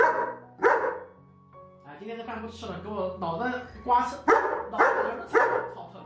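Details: German Shepherd scolding its owner over undelivered food: a single bark, then throaty grumbles and moans rising into three strong barks near the end, with background music.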